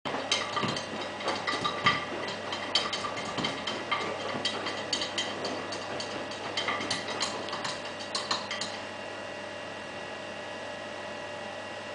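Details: A washing machine churns and rattles with clattering mechanical knocks and a steady tonal hum, and no animal voice is heard.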